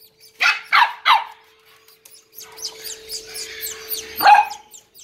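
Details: Corgi puppies offered for sale in Indore give three quick, sharp yips in a row, then a run of faint, high squeaky chirps, and end on a louder, higher yelp, over a steady faint electrical hum.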